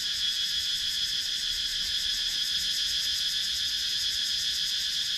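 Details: Cicada chorus from wooded countryside in Sakon Nakhon, Thailand, recorded on a GoPro Hero 9: an intense, even, high-pitched electric drone with fine rapid pulsing, nothing else standing out.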